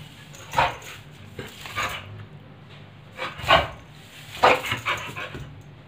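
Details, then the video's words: During broomstick play, a pit bull lets out scattered gruff barks and short growls, with three strong bursts spaced about a second apart, against a low room hum. "pitbull dog playing with broomstick"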